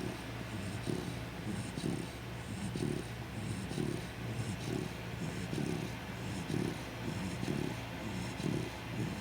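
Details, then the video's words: A sleeping Chow Chow snoring: rhythmic rasping snores repeat roughly once a second, steady and even, over a constant hiss of background noise. "sleeping chowchow full snoring"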